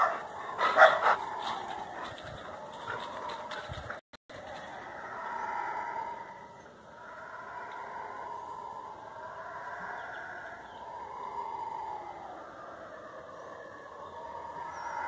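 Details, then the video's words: Guaribas, or howler monkeys, roaring in the forest, a haunting sound of night and predawn: a sharp loud burst and brief cut at the start, then steady waves of hoarse, moaning roars rising and falling. "O CANTO DAS GUARIBAS"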